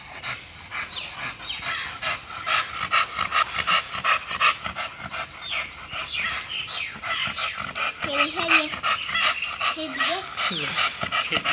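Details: Male American Bully of the Bulsky bloodline panting rapidly and steadily at about two to three breathy huffs per second, with people talking over the later part.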